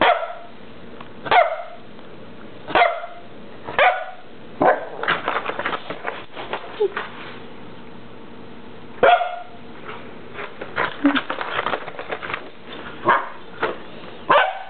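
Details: Dog wearing a cone barking: short, sharp barks, singly and in quick bursts, with a few falling yelp-like notes, spread across the recording over a steady background hum.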